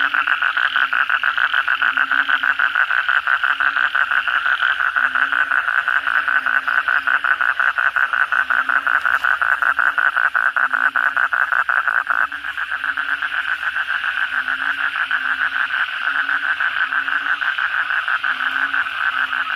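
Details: Many Asian common toads calling at night after heavy rain: a fast, dense rattle of croaking pulses, about three per second, forming a continuous chorus with a faint low droning tone.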